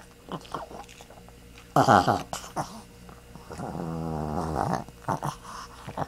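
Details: Pet dog Zoey gives a sudden loud groaning grunt, then a longer drawn-out moaning vocalisation with a falling then rising tone, between soft snorts; a low hum persists indoors.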